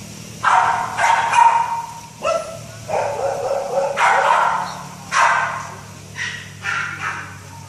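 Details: Great Dane puppy giving a series of short, husky barks and yelping yips in quick succession, some with a tonal whine, over a low steady background hum.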